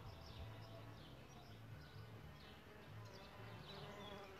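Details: Solitary bees nesting in a bug hotel: a low, droning buzz that swells and fades in short bursts of about half a second, over a steady background hiss with faint high chirps of birds scattered throughout.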